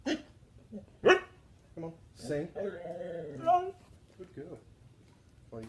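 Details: Trained husky singing on cue during a trick routine among several huskies: short yips then a sustained, wavering howl with rising and falling harmonics, interleaved with a person's praise.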